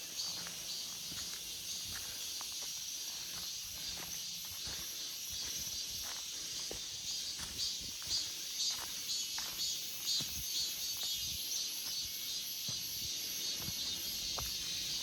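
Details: Cicadas singing in an August forest, a constant high buzz that swells into faintly pulsing waves toward the end, with light ticking sounds beneath.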